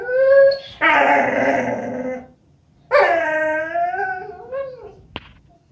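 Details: Female Vizsla named Sookie, a family pet, giving two long, loud whining howls, each bending and sliding in pitch with rich harmonics, the second curling upward at its end, followed by a faint short click.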